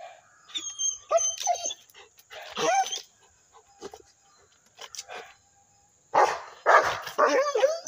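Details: Rottweiler giving short high yelping barks and whining cries in scattered bursts, with a dense cluster near the end; a steady thin high-pitched electrical tone runs underneath throughout.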